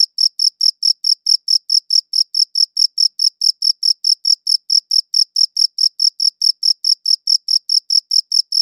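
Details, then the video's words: Steady cricket chirping, short bright pulses repeated about four times per second in an unbroken, even rhythm against complete quiet. "Cricket Chirping Sounds"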